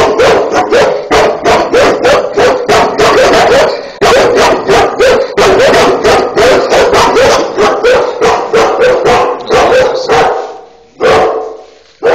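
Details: Two Cane Corso dogs bark continuously and loudly, a dense run of rough, rapid barks with brief breaks, ending in a longer drawn-out bark near the end.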